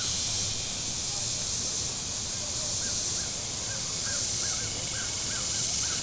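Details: On a very warm Saturday at Table Rock Lake, southern Missouri, cicadas on the shore keep up a continuous shrill whine, with faint boat rumble below and a run of short bird chirps late in the passage.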